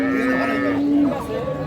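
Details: Dairy cattle at Ambari livestock market, Parbatipur, Dinajpur, Bangladesh, with cows and calves for sale: a steady, level low moo held for about a second, then fading into market bustle.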